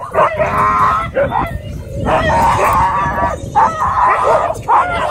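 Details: Husky left screaming at a dog park following a pitbull encounter: long, drawn-out wailing cries in four main bursts separated by brief pauses, with low background rumble.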